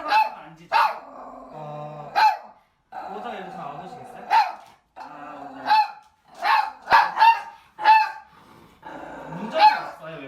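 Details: A house dog barks defensively at an outside visitor during a home training session, guarding the house: sharp, loud barks repeated roughly every second, mixed with growls, while a trainer and owner speak Korean in between.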